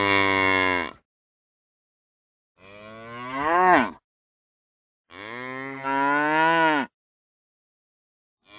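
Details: Cow (Bos taurus), moo.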